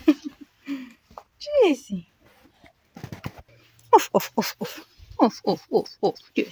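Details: Maltese dog named Jessie greeting its owner after work indoors, giving a run of short high whines and yelps that come in quick pulses, with a woman's voice talking to the dog in between.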